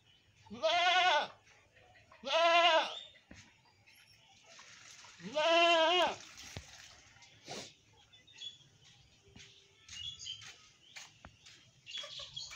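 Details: A black goat gives three loud, wavering bleats, each about half a second long, then falls quiet.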